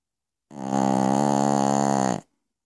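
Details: Piccolina, a Pekingese, snoring in her sleep at night: one long, buzzy, rasping snore of about two seconds, swelling quickly and holding steady before cutting off, in an otherwise silent room.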